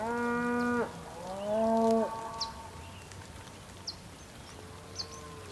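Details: Two loud, rich moos in quick succession from bulls on the rainy Patagonian plain of Tierra del Fuego, Argentina. The second moo swells and holds, and a faint distant moo follows. Thin bird chirps sound softly behind.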